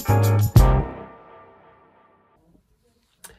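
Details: A loud piano chord struck twice, then left to fade slowly into silence, with a faint click near the end.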